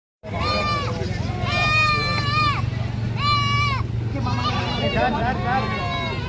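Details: Goat screaming with loud, drawn-out, high bleats: three wavering cries of about a second each, then a broken, shakier series near the end, all over a steady low engine-like hum.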